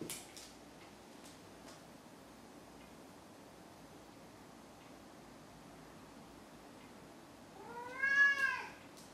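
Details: A male pet cat meows right after catching a toy, then rolls onto his back, apparently proud. After long near-silence with a few faint taps, one short meow with bright stacked harmonics rises and falls near the end.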